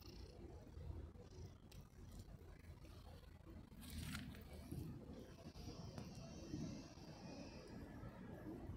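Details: Domestic cat purring while being petted: a steady, low rumbling drone that runs continuously through the recording, with faint soft rustling above it and a brief brighter burst near the middle.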